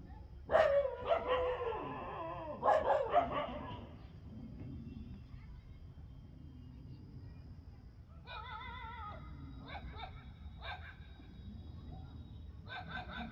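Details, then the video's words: Street dogs fighting in the afternoon: loud, harsh barks and yelps crowd the first four seconds, then quieter, high whining cries come in short bursts near the end over a steady low rumble. "STREET DOG FIGHTING AFTERNOON TIME||STREET DOG BARKING"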